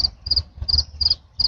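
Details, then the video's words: Big cricket chirping in regular bursts, each a rapid doubled high-pitched pulse, about five bursts in a second and a half, with low background rumble. "Big ass cricket making noise"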